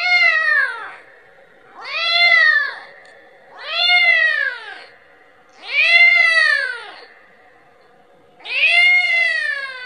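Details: Kitten calling for its mother, asking for milk: five loud, arched harmonic meows, each about a second long, repeated roughly every two seconds with short quiet gaps between.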